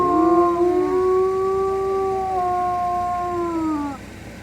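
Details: Wolf howl rising smoothly at the start into a long, steady tone joined by a higher overlapping voice. Both notes ease slightly downward and fade out just before four seconds, leaving quiet.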